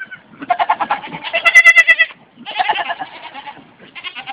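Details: A pet goat bleats loudly in long, wavering, pulsed cries, each bleat a rapid tremolo of about a second or more, repeated three times with short pauses; a person's voice follows.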